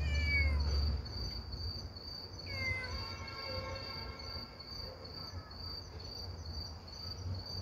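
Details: Motherless kitten crying to people through the night: two clear, drawn-out meows that fall in pitch, separated by a pause of about two seconds, over a steady high chirring of crickets.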